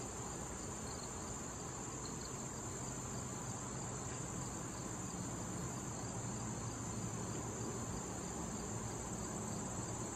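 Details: Crickets in a late-summer patch of wild thistle with pollinating bees and butterflies: an unbroken high shrill hiss-like drone with faint pulsing chirps, above a steady low droning hum.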